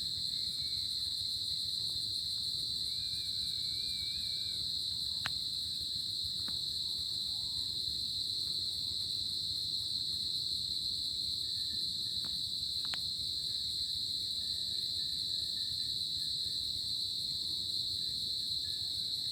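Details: Continuous high cricket trilling on a summer night fills the whole stretch, joined by faint wavering distant calls and a few sharp clicks.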